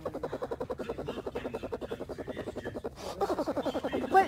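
A bear cub purrs with a rapid, throbbing hum that pulses steadily like a small motor.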